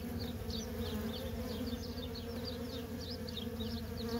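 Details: Honey bee workers stream in and out of a feral colony. Their constant humming buzz stays even throughout, with many short, high twittering chirps scattered over the top.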